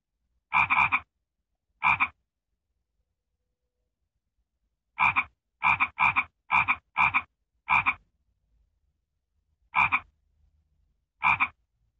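A frog repeats loud, raspy croaks, each a brief burst. They come singly or in quick clusters of several, with pauses of a few seconds between groups.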